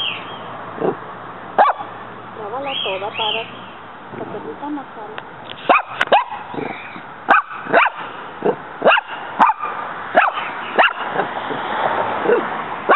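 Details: Female pet dog Muñeca battling a praying mantis in a home yard; a long series of short sharp barks at uneven intervals, with human speech and laughter in the early part.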